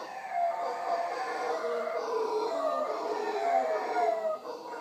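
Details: Howler monkeys in the wild, visiting in the morning at Punta Uva, Costa Rica, near the Manzanillo Wildlife Refuge, roar continuously throughout, a dense layered howling chorus with wavering moaning tones, briefly dipping near the end.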